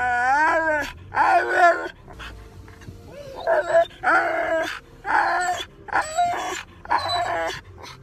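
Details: Husky dog vocalizing in drawn-out, warbling yowls that rise and fall in pitch, roughly seven bursts spaced about a second apart, with a brief quiet stretch near the middle.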